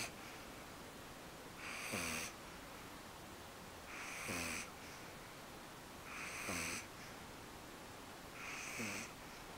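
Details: Eve, a pet dog, asleep at home and tired after her first-ever trip to the park: four raspy snoring breaths about two seconds apart, each a hissy burst with a low rumbling tail.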